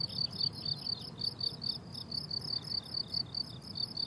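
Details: High-pitched rhythmic chirping of crickets in a summer meadow in bloom, short bright pulses repeating several times per second, a second cricket alternating faintly, over quiet low ambient noise.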